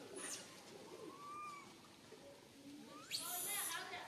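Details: A tiny baby monkey, stuck alone high in a tree and very fearful, cries for its mother with thin, wavering whimpers breaking into shrill, piercing squeals over a steady rustling hiss.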